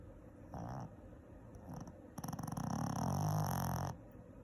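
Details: Shih Tzu. A Shih Tzu snores in deep, gravelly rumbles. A short nasal buzz comes first, then a longer rattling breath that grows louder and vibrates steadily before stopping abruptly.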